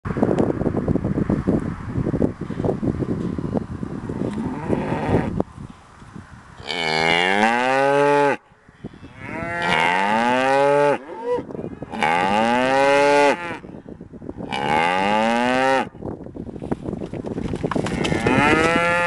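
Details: Texas cows that wandered over in the open near a distant large fire, several long drawn-out moos, each a few seconds long, rising then falling, with breaks of rustling and ambient noise between calls.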